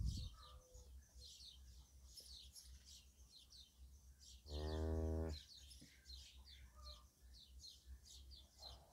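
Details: Cattle with a little calf asleep next to its mother; one deep, steady, evenly toned moo of nearly a second midway, with busy bird twittering throughout and low background hum.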